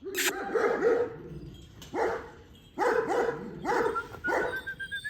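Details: Female Kangal dogs barking in short bursts of several quick, rough barks, the bursts separated by brief pauses of about a second.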